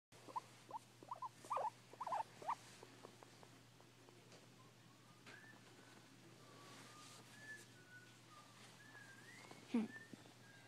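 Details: Pet guinea pig indoors making unusual noises, recorded on an iPhone 4: a burst of short, sharp squeaks and chirps in the first few seconds, then a faint drawn-out whistle and one last squeak near the end.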